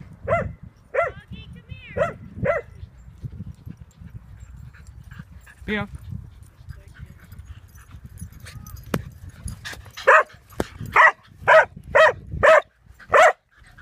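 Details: A dog plays at a dog park and barks in quick bursts: four evenly spaced barks open the clip, followed by quiet background noise and a brief squeak. A rapid run of about six louder barks closes it, with people talking faintly.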